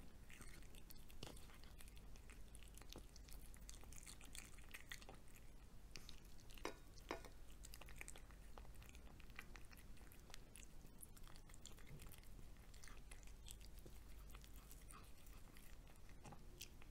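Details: A house cat's meal of fried egg, recorded close: continuous lapping and chewing clicks with scattered crisp bites, and an occasional light knock like a dish, against a steady low hum.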